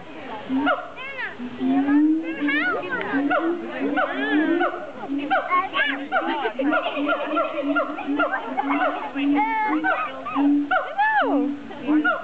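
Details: Siamangs at a zoo: dense, overlapping tonal calls with a steady low hoot underneath and many swooping notes that rise and fall quickly, layered almost continuously for twelve seconds.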